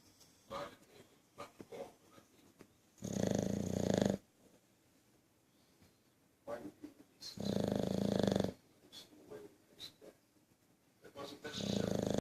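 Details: Sleeping bulldog snoring loudly: long rough rattling snores lasting about a second each, roughly every four seconds, with softer snuffles and breaths in between.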